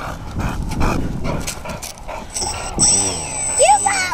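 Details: Hugo, a boxer dog, playing with a battered F-16 profile parkjet model plane outdoors; short rising yips and a whiny call come late in the clip over a man's talking and wind rumble.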